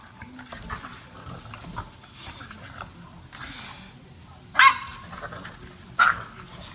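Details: An English Bulldog gives two short, sharp barks about a second and a half apart near the end, after a stretch of quiet indoor murmuring and soft speech.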